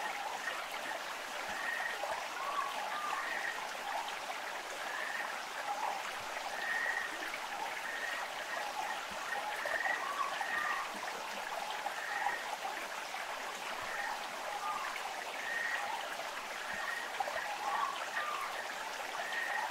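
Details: Amami Ishikawa's frog on Amami Oshima, Japan: short mid-pitched calls repeated roughly once a second throughout, over steady rushing stream water.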